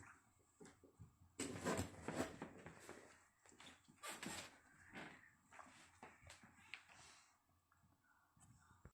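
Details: A dog named Rassmo Chico barking at his bone indoors in a small room: loud harsh barks near the second and fourth seconds, with quieter grumbles and whimpers scattered between and a faint background hum.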